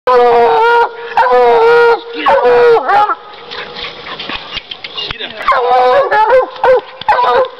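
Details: Bluetick Coonhound coon dog treeing: loud, drawn-out bawling barks with rich harmonics, some bending downward, in bursts separated by short pauses and fainter background noise.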